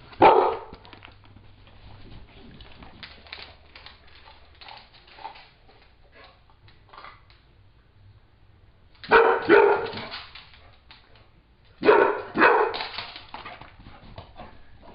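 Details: Dogs in a home: Little Squeak, a Beagle, steals the bigger new bone of Jake, a one-year-old Pit Bull. A short barking burst opens, then quiet with faint sounds, then two loud barking bouts around nine and twelve seconds.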